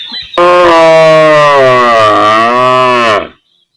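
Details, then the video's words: Real-life cow from a village, one loud sustained moo lasting about three seconds, deep and even, dipping slightly in pitch midway before cutting off into silence. "Cow Sound Effects Mooing Mooing"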